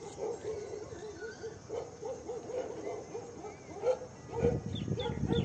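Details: A female Doberman fighting a goat gives a run of low, rough barks and growls, with louder bursts toward the end.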